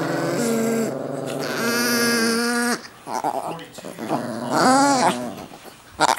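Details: Several chihuahuas, described as possessed, hold drawn-out, droning growl-whines for about three seconds, then fall quiet under human voices before a brief, higher, wavering whine returns.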